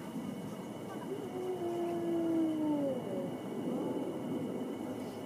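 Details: A wolf gives a long, smooth howl that slowly falls in pitch, while other faint wavering howls drift in around it over a hissing background.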